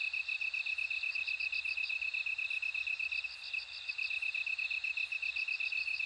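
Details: Bell crickets singing: a bright, constant high-pitched ring with rapid pulsed chirps about four per second on top, sustained without pause. No other sounds stand out.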